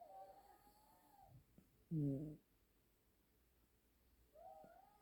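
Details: A sibling pair of Siamese cats, a brother and sister, sleeping and snoring as a duet at home. A single low, rough, harmonic snore sits between faint, thin whistling tones at the start and end.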